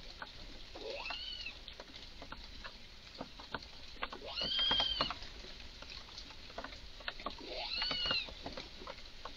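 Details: Red squirrel in a garden, clearly very agitated, giving strange calls: three high arched, whistle-like cries about every three seconds over a steady patter of rapid dry clicks and ticks.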